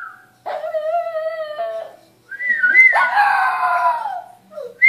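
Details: Shih Tzu howling early on a Saturday morning while a man whistles: a drawn-out steady wail, then a higher howl sliding downward, with short thin whistled notes between.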